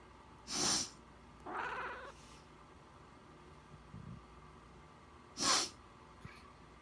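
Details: Domestic cat answering its owner's sniffle. A loud sniff is followed by a single short, harmonic meow. A second sniff comes near the end with no reply, against a quiet indoor background.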